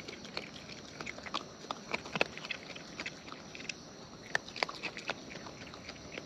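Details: Wild raccoons eating close up, recorded for natural chewing sounds; quiet wet smacking and crunching clicks scattered irregularly, about two dozen per minute, with a few sharp bites standing out.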